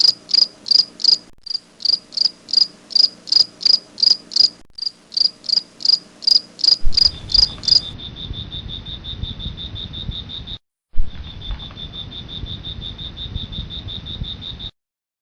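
A grasshopper gives rapid bursts of high, shrill chirps, then a continuous buzzing trill.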